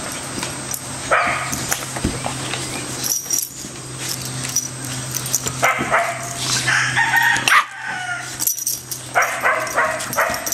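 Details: Bella the American Staffordshire terrier, Orson the red heeler pup and Patches the Border Collie playing together, giving rapid, uneven clusters of barks and rough play growls, with scuffling noises between the calls.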